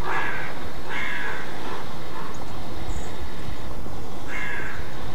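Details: Alarm barking of roe deer (Schrecken): two rough barks in quick succession, then a pause of about three seconds before a third bark, with steady low-frequency rumble throughout.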